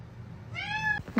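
A kitten gives a single high, clear meow, rising slightly and then holding steady for half a second.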